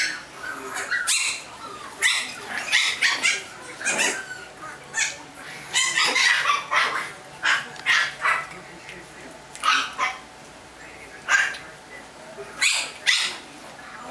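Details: Chihuahua puppies in California giving scattered high-pitched yips in small clusters, separated by short pauses, while a human voice is heard faintly in the background.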